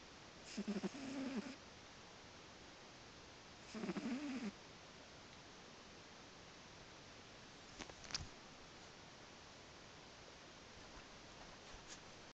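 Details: Sleepy domestic cat snoring softly: two short, rapidly pulsed rattling breaths near the start, then quiet background hiss with a couple of faint clicks.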